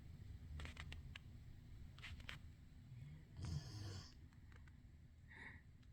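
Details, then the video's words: Pet dog asleep in a human bed rather than his dog bed, snoring: soft low rumbling breaths, then one louder snorting burst midway and a faint nasal whistle near the end, in a quiet indoor room. "What dog snoring too???"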